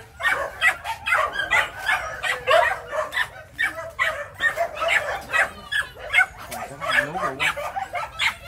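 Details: Rat-hunting Phu Quoc dogs, three to four months old, at a Saigon kennel in Vietnam: dense, repeated yelping barks mixed with a man speaking Vietnamese.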